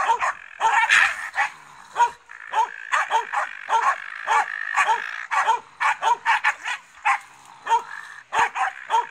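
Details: Finnish Spitz confronting a raccoon dog, producing insistent high barks in quick clusters of two or three, a strained bend on each, with a steady background hum between volleys.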